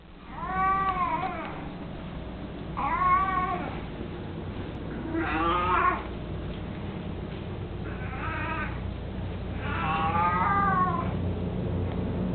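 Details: Mico, an 18-year-old mostly blind, chubby pet cat who loves carrying his toy mouse, meowing indoors: five drawn-out, harmonic meows, some rising then falling, spaced about two to three seconds apart over a low steady hum.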